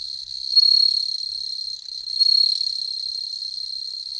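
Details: Indoor bell crickets bred from store-bought stock in Hokkaido, Japan; a constant high ringing trill throughout, rising in loudness in two surges, clean and free of other sounds.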